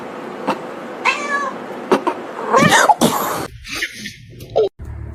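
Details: Kitten or cat meowing amid a funny-cat compilation: a few short harmonic meows, one drawn out and wavering, interrupted by a person's exclaimed speech and background music.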